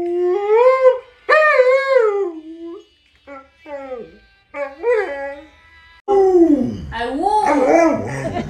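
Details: Mealtime chatter from Fugui, a pet Alaskan Malamute: yodelling, rising-and-falling moans in short bursts with gaps. They end in a rougher, louder run of whining howls alongside faint music and a voice.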